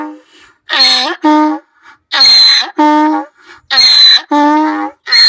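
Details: Donkey bray, voiced in anger or fear: loud paired hee-haw cycles about once a second, each a bright squealing inhale followed by a lower grating exhale, with short breathy pauses between.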